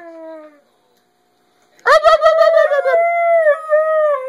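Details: Part-husky dog howling at its owner as a way of talking: a brief falling tone, a pause, then a burst of stuttering yelps flowing into a sustained, steady howl with slight wavers.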